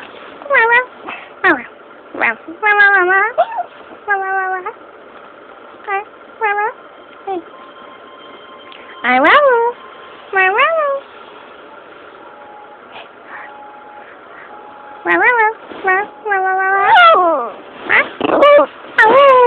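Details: A dog that doesn't bark gives its odd little howl in response to certain noises: brief, yodelling howls and whines that bend up and down in pitch, in uneven bursts, over a faint steady hum.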